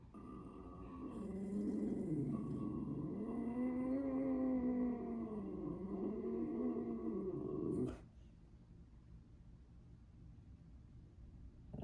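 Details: A Boxer gives a long, wavering growl-howl, an unusual bark, that rises and falls for several seconds, then stops abruptly.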